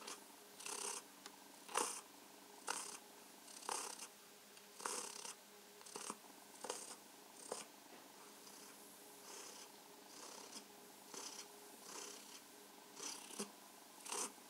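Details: Pet cat Mausi purrs contentedly under stroking and massage, producing a long run of short rasping pulses, slightly irregular, about one per second, above a quiet underlying hum.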